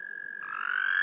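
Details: American toad trilling during spawning in the eastern US: a steady, musical, long-drawn-out buzz at a constant mid pitch, with a second toad joining slightly higher partway through. The sound is often mistaken for a bird.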